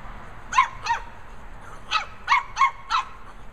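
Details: Lhasa Apso puppies Timmy and Brandi, a pair nicknamed Chewbacca and Ewok. Six sharp, mid-pitched barks come in two short bursts, first a pair and then a quicker run of four, over a quiet background.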